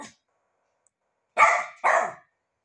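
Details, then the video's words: Pet rat terrier barking for breakfast indoors: two short, loud, harsh barks about half a second apart after a quiet stretch. "the cute rat terrier barks for..."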